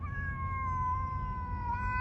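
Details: Cat yowling during a fight with another cat, one sustained, drawn-out wail that slowly sinks in pitch over two seconds above a low rumbling background.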